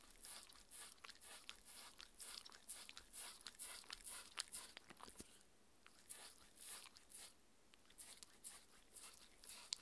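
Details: Mindy, six-year-old female Shetland Sheepdog, crunching a raw beef dinner; bright clicking bites come fast, slacken into softer chewing midway, then pick up again.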